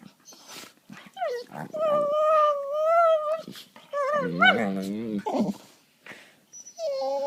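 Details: Pair of pet dogs play fighting on a couch, gnawing at each other; a sustained, slightly rising whine is followed by a rough, warbling growl, then brief silence and a further short whine.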